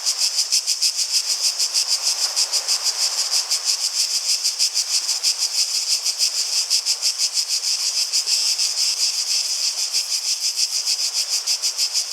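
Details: Many cicadas buzzing shrilly in a fast, pulsing chorus that swells slightly in places and never pauses.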